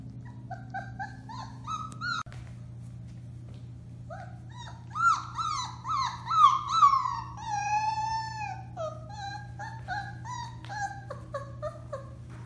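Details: Four-week-old Alaskan Malamute puppies of the Bema and Cole litter at Kwik-Pak, recorded March 30, 2021, howling indoors: several overlapping high, wavering cries with harmonics, some long drawn wails gliding down, others short yips, over a steady low hum.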